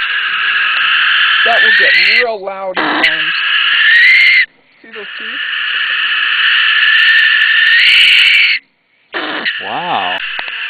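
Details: Captive brushtail possum held outdoors in temperate mountain country gives loud, grating screams when disturbed. Long rasping bursts of several seconds each are separated by short pauses. Wavering, moaning voiced notes are mixed in.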